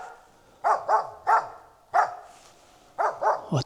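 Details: Finnish Spitz hunting dog in Lapland, autumn 2025, barking at an earlier game bird treed on a slope; seven sharp barks in clustered pairs and triplets with short pauses, over a quiet forest background.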